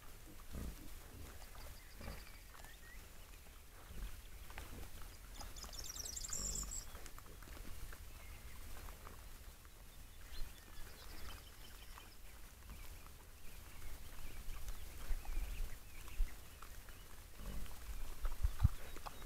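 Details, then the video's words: Wild boars, also called wild hogs, giving low scattered grunts and snuffles over a steady low rumble, with a brief high bird trill near the middle. "Wild boars wild hogs."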